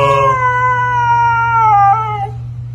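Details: A husky seemingly speaking to a man, giving one clear drawn-out howl that glides slowly downward with a small wobble before fading, backed by a steady low electrical hum.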